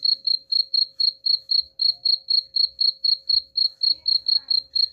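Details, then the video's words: Cricket chirps used to scare off rats, a continuous train of bright high pulses at roughly four per second, regular and unbroken, with a soft background hum and occasional low thumps. "suara jangkrik pengusir tikus ampuh"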